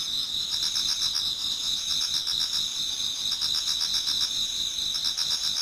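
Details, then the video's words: Chorus of autumn insects in a Japanese garden near dawn, a constant shrill ringing overlaid with rapid pulsing chirps, about four pulses a second, forming an unbroken wall of high sound. "Autumn Insects voice Towards dawn"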